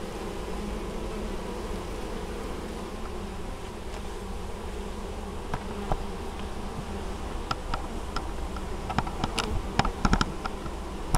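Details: Apiary honey bees in Moszczanka, Opole Voivodeship, Poland, 19 August 2013, busily bringing in honeydew; a dense, even, low buzzing drone throughout, with scattered sharp ticks and clicks toward the end.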